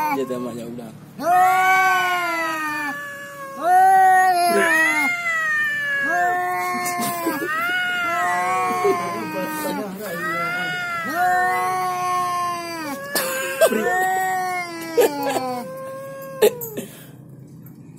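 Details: Domestic cat yowling at a rival it meets, with head-butting: long drawn-out wailing yowls, each rising then falling, repeated about every one to two seconds in overlapping bursts; faint background noise.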